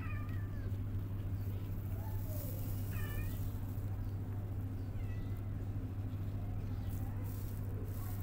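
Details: Mother cat cuddling her newborn kittens to comfort them; about four thin, short mews with arched, rising-then-falling tone, spaced irregularly over several seconds, set against a steady low humming drone.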